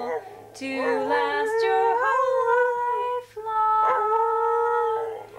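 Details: Aussie and Border Collie cross dog singing with its owner, long sliding howls rising and dipping in pitch, broken by a brief pause midway, mixed with the owner's sustained vocal tones.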